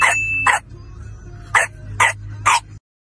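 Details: Dog barking in a children's lesson on household animals: five sharp, short barks, two quick ones then three more after a pause, over a soft steady musical hum.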